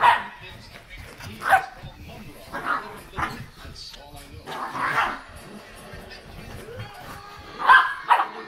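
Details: Two Miniature Schnauzers, Odin and Kratos, greet with early morning affection at home: short, bright grumbling yips and half-barks come in uneven bursts, roughly seven over eight seconds, alongside a person's voice.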